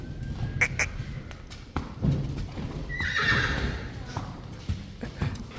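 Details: Friesian horses, colts running to the stable, one giving a short high whinny midway over thudding hoofbeats and outdoor noise, with a person speaking Dutch.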